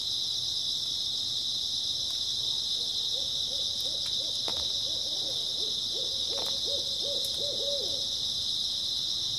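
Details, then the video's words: Grass insects chirr continuously on an early autumn night, a bright high drone, while a low wavering hooting trill repeats in two bursts through the middle, with a few soft clicks. "초가을 밤부터 새벽까지 백색소음 풀벌레 소리"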